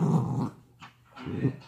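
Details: Dachshund growling while playing tug of war: two low, rough rumbling growls, each about half a second, separated by a short quiet gap.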